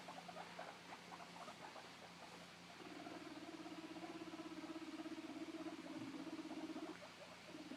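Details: A 2-month-old male guinea pig, whose companion has been taken away, gives a contact call: loud, rapid, repeated squeaks and a sustained buzzing note as he looks for his friend.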